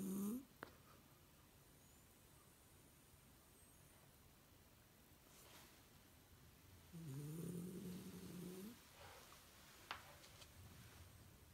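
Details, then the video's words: A female Shiba Inu sleeps during the day with her eyes open, lying in a strained-looking but relaxed pose indoors. A short snort opens, then quiet, then one long droning snore with a wavering tone, and a faint click near the end. "snoring with her eyes open"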